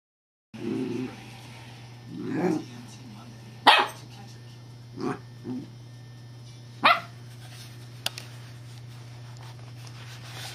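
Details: Female puppy named Evangeline, alarmed at a perceived threat, gives deep, rich barks: a low growly opening, then several sharp barks spaced a few seconds apart, with a steady low hum in the background.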